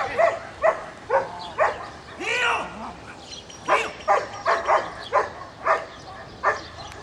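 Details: Very dark-coated Belgian Malinois sire with a trainer, giving a steady run of sharp, evenly spaced barks about twice a second, with a human voice speaking briefly partway through.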